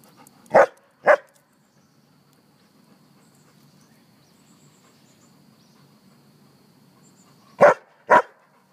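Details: Mac, a happy dog rolling in the grass outdoors, gives two quick sharp barks, falls quiet for about six seconds over soft background hum, then barks twice again in a fast pair.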